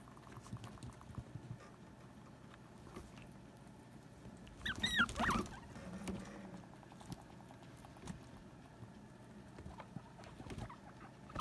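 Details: Sylvie, a female guinea pig, squabbles with Jenny over hanging out in their hammock; faint ticking chatter leads into a brief burst of high, wavering squeals, then quieter rumbling pulses and light pattering.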